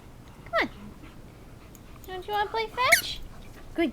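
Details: Homer, a pet puppy playing fetch with a tennis ball inside the house, lets out short falling whimpers at the start and end, with a run of wavering whiny notes in between and an owner's encouraging voice nearby.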